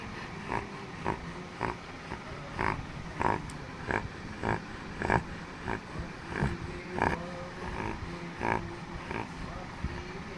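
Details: Pet Labrador Retriever named Chotu, asleep and snoring: rhythmic snorting breaths that repeat about a hundred times a minute with a slightly uneven beat, over a steady low background hum.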